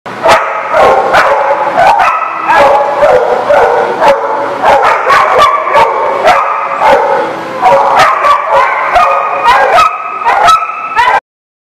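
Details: Dogs recorded on 28 September 2019 give a loud, nearly continuous run of sharp, high-pitched barks and yips, closely spaced with brief whimpering tones between, ending abruptly.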